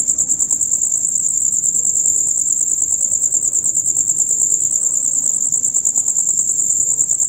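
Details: Loud, rapid chirping of male crickets in their usual dusk-until-dawn concert, a high, sustained buzzing trill of quick even pulses that barely varies across the recording.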